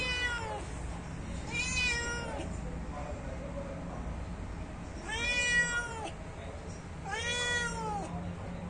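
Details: Hungry domestic cat waiting for food gives repeated meows, four drawn-out calls, each rising then falling, spaced about two seconds apart, over a low indoor hum.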